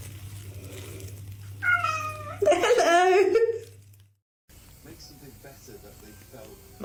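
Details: Domestic cat in a funny cat compilation letting out a couple of wavering, slightly strained meows over about two seconds, with a low hum in the background and quiet noise afterward.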